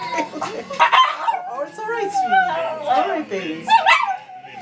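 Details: A small Yorkie/Havanese mix dog howls along with the one song she always responds to, in wavering, drawn-out yowls while a person talks.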